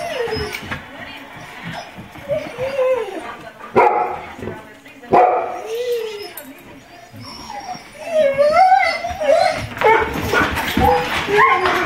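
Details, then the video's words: Several domestic dogs including a Golden Retriever and an Irish Setter howl in imitation of coyotes, one barking along: repeated wavering, rising and falling howls overlapping, with short barks and yips and heavy breathing between them. "coyotes or dogs"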